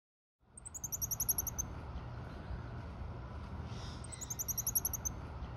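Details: A Goeldi's monkey at a zoo in June gives two bursts of very high, rapid chirping notes over a steady background rumble.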